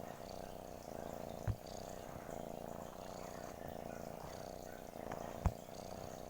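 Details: Cat purring, a soft continuous low rumble with a steady pulsing texture that holds unbroken for the whole six seconds, interrupted only by two brief sharp clicks near the start and end; quiet, close indoor sound.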